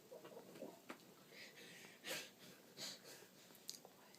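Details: Sleeping Boxer dog snoring like a human: soft breathy wheezes, with two louder, drawn-out hissing snorts near the second and third seconds over a quiet background.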